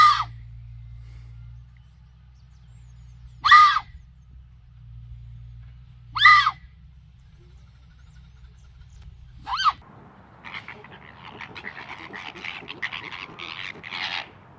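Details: Fox. Piercing, hoarse screams from a fox ring out one at a time, roughly three seconds apart, each dropping slightly in pitch. The last few seconds shift to a busy stretch of scratchy, stuttering chatter.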